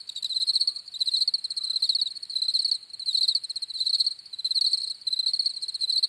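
Crickets chirp in bright, pulsed trills, short bursts repeating roughly every second.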